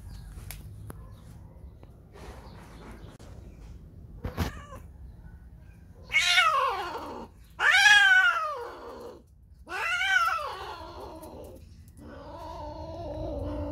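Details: In heat despite being spayed two years ago, female cat Whisky, out seeking a mate, utters three loud, strained yowls that arch up then fall, followed by a lower, sustained moaning cry; a sharp knock is heard earlier.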